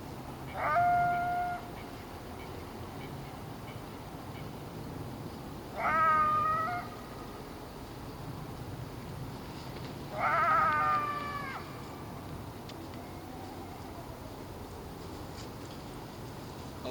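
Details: Coyotes surrounding a lone person from a distance on a Friday evening, 10 January, around 6:20 p.m., give three brief, high, wavering howls a few seconds apart over a steady night hiss; more coyotes come closer later.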